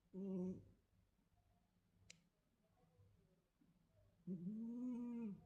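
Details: Sleeping cat snoring softly indoors: two low, droning, tonal snores, a short one at the start and a longer swelling one about four seconds later, with near silence and a single faint click between.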